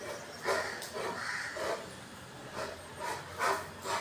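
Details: Rottweiler calling out at strangers beyond the door: soft, muffled barks and whine-like tones with harmonics, coming in quick uneven bursts against steady background hiss.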